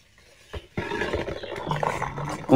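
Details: Xiao Mi, a pet dog, happy with today's weather, gives a rough, drawn-out grumbling roar that starts abruptly after a short thud and wavers on for nearly two seconds.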